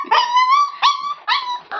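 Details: Hungry Labrador Retriever puppy whining in high, drawn-out tonal cries, a long sustained wail followed by three shorter rising whimpers in quick succession.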